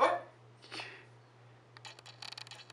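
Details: A French Bulldog barks on the command "speak" during trick training: one sharp, short bark, then a softer second bark a moment later, followed by light clicking and rustling sounds.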